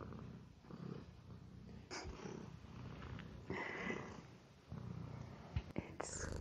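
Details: Male house cat purring as he eats indoors; a low continuous rumble runs throughout, broken by brief clicks and a short higher-pitched noise in the middle.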